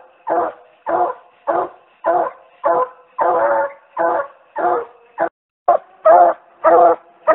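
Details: Treeing Walker Coonhound pup giving angry-sounding tree barks as fall training begins: a regular series of short, hoarse, harmonic chop barks, about one every half second, keeping steady for seven seconds.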